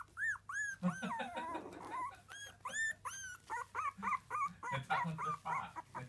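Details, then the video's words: Three-week-old Miniature Dachshund puppies give high, arched squeaks and whimpers, rapid and irregular, about three per second. The cries overlap into a busy chorus of several pups, with a low steady hum underneath. "3 Week Old Miniature Dachshund Puppies"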